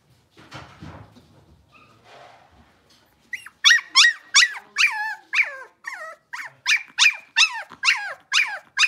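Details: Six-week-old blenheim Cavalier King Charles Spaniel puppies, a litter of five, after quiet rustling break into a steady run of loud, sharp yelping cries, roughly three each second, each a quick bent squeal.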